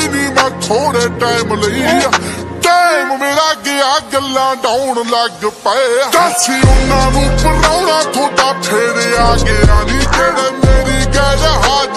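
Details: Hip hop track with rapped vocals over a heavy beat and deep bass, with no barking or other animal sounds.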